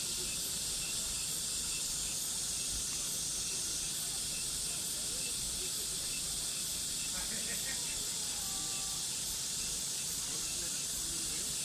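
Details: Summer cicada chorus, an even high-pitched sizzling drone that never pauses, while a brief whistled tone from another creature slips in near the end.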